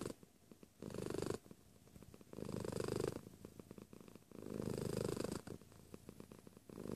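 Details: A cat purring near the microphone: loud low rumbling phases lasting about a second alternate with quieter ticking purr strokes, steady and rhythmic.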